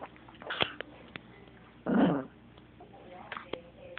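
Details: Chihuahua snapping at a remote control: one short, harsh, growling snap about midway, with faint clicks and a mostly quiet room before and after.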